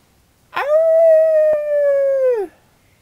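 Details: A 2-year-old female West Highland White Terrier howls back at horse sounds made by people, one steady howl of about two seconds, held level then dropping; she ignores dog howls.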